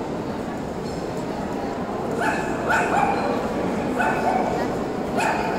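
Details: Tibetan Terrier at the Euro Dog Show 2018: after two seconds of steady indoor hall murmur, four short sharp barks ring out about a second apart over a busy crowd and chatter background.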